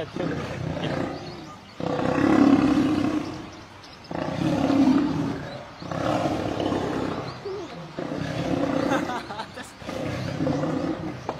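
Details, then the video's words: A male lion under attack by a group of lionesses, a fight ending in his death. Rough, throaty snarls and growling roars come in four long surges, each lasting about two seconds and separated by brief quieter gaps. "Male Lion attacked and killed by group of Lioness"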